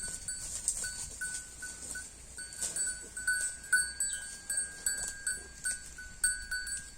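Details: HF cow (Holstein Friesian) eating grass, with frequent rhythmic crunching and tearing pulses, backed by a persistent high ringing hum with short pulsing tones.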